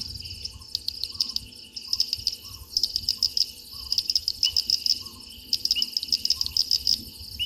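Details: Frog calling close to a waterhole microphone at Gowrie dam, Djuma Game Reserve, Sabi Sand Wildtuin, South Africa, at 04:02 on 03/06/2023; loud bursts of rapid, sharp, high clicking chirps over a steady high insect chorus, with soft low notes repeating beneath.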